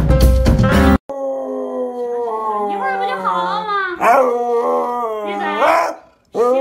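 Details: Siberian Husky that had been sleeping during the day, woken up: after a burst of music, a long, wavering howl slides and bends in pitch, breaking into yodel-like warbles.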